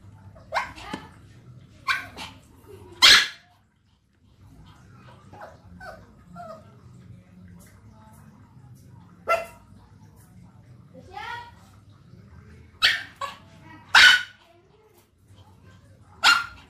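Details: Dog barking in short, sharp bursts, a few spaced single barks and a quick pair near the end, with a low steady hum and faint murmuring between them.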